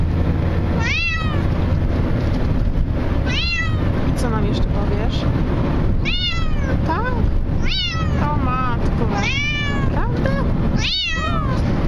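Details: A Bengal cat crying in a car throughout the trip gives loud, arching meows every couple of seconds over a steady low engine rumble.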